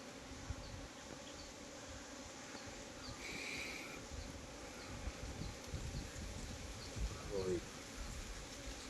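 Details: Honey bees at beekeeping hives in Nellore, India, filmed while honey boxes are checked: a steady, dense broadband droning hum that fills the whole stretch, with brief soft human voices toward the end.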